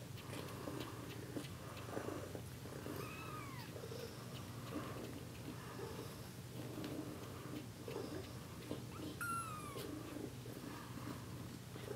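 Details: Kittens one week old, giving two thin, high mews that arch up then slide down, one early and one late, over a steady low rumbling background indoors.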